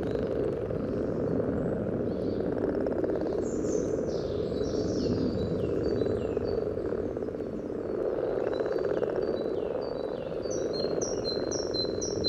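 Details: At a spawning pond along the yellow trail in Sunnersta, Uppsala, common frogs produce a dense, steady low purring chorus, picked up with a parabolic microphone just above the surface; thin whistled bird notes sound faintly above.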